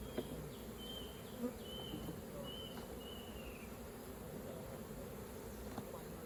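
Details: Low constant droning of honey bees at a hive during honey collecting, with a few clear whistled bird notes early on and occasional soft knocks.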